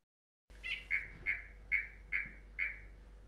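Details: A southern green stream frog, a spring-to-summer breeder of vegetated streams in Australia, gives its advertisement call, a run of sharp, high notes about twice a second, each a high reek followed by a lower pot.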